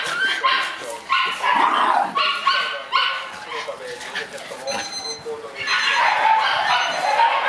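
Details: Seven-month-old black Shiba Inu puppy on the morning it is collected by its new family, letting out a quick run of high, harmonic yips and whimpers in the first three seconds, with people talking throughout.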